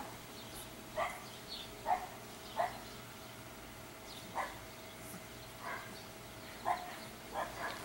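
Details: English Bulldog puppies at Siess Ranch in Seneca, Kansas, 2015: short, thin, high yips and whimpers, about eight in eight seconds at uneven spacing, over a steady low hum.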